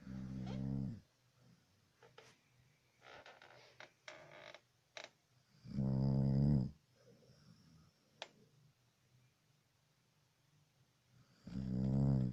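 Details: A dog snoring: deep, rumbling, harmonic snores about a second long, heard at the start, around six seconds and again at the end, with quiet breathing and faint clicks in between.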